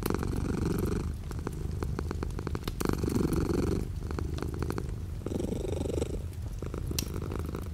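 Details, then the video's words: Pet cat purring while light rain falls outside the window, a deep continuous rumble swelling and easing in roughly two-second breath cycles, with scattered soft taps from the rain. "The sound of a cat purring with light rain outside the window."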